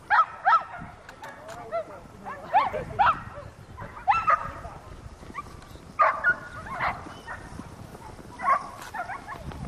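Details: Whippet named Volk during circular track training in Novy Milet, 30 October 2016, letting out sharp, high yelping barks in short bursts every one to two seconds over outdoor background noise.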